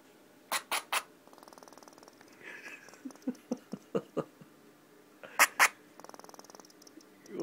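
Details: Upset pet female squirrel barking suddenly after purring: sharp loud chirping barks, a run of about six evenly spaced barks, then two more, between stretches of soft purring clicks, while a woman speaks soothingly.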